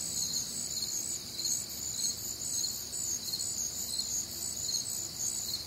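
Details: Night chorus of crickets on a humid, warm summer night in the Midwest, many insects trilling together in high pulsed chirps, roughly two per second, layered over a soft low rumble.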